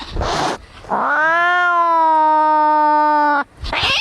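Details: An angry cat in a fight, its sound used to drive away rats: a long, harmonic, wailing yowl that rises then holds steady for about two and a half seconds, between short harsh hisses or spits.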